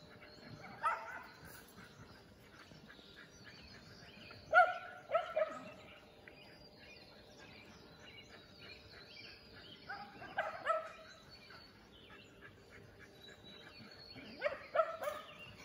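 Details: Shelties running at full speed, Shetland Sheepdogs recorded in 2021 at an AKC setting: scattered bright barks, often in quick pairs or triplets, spaced several seconds apart with quiet open-air stretches between.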